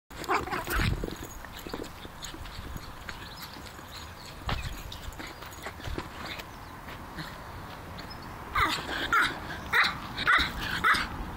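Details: Griffon Bruxellois named Elliot, a pet dog, playing with a football; after a quieter stretch of rustling and thumps, a run of five short, sharp, high barks in quick succession near the end.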